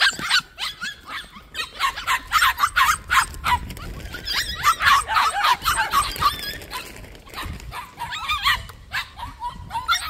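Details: In a plum orchard, a group of young white puppies keeps up a steady run of shrill yips and small barks for ten seconds, easing slightly toward the end.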